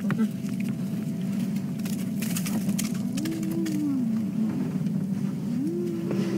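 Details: At sunrise on a morning safari drive, with the clan near a kill, a distant spotted hyena, probably young, gives low, rising whoops over a steady engine rumble.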